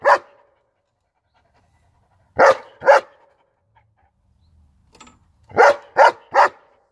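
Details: German Shepherd barking in short groups: one bark, a pair after a pause, a quiet stretch with faint breathing, then a quick run of three sharp barks.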